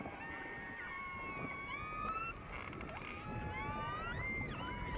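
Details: Orcas recorded underwater off Norway, where poor visibility means they are heard before being seen: several overlapping whistled tones rise and fall and cross one another, over a steady rushing underwater background with faint clicks.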